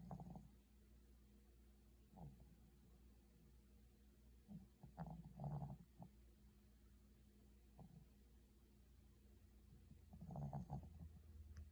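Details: Pomeranian named Alto asleep after becoming very tired, snoring: soft low rumbling snorts in irregular bursts, clearest near the second, fifth and tenth to eleventh seconds, over a quiet steady background hum.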